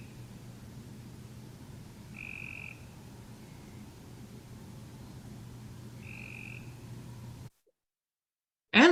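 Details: Cope's Grey Treefrog, whose call is called more of a buzzy burr, gives two brief buzzy trills roughly four seconds apart over a low hum, followed by a cut and the start of a person speaking.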